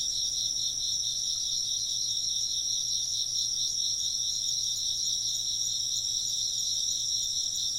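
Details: Insects chirping in a dense, steady chorus: high trilled pulses layered in two bright bands, running without pause for the whole stretch, with a faint low hum beneath and no other clear sounds.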